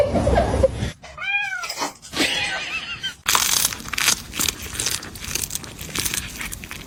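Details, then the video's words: Cats fighting: one wavering, arched yowl with a rising-then-falling tone, followed by a burst of loud scuffling, rustling noise. "funny cats fighting"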